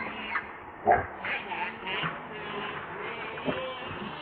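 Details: Hungry baby monkey Lucie whimpering for milk: a sharp squeal near the start, then a run of wavering, harmonic crying notes, softer and drawn out, with a brief louder sob toward the end.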